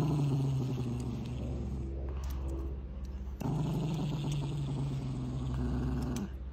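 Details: Angry dog producing a continuous low, vibrating growl that dips briefly in the middle before swelling back to full strength, with scattered scraping noise on top.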